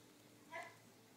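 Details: A six-day-old golden Cocker Spaniel puppy (Canis lupus familiaris) gives a single brief, high, tonal squeak.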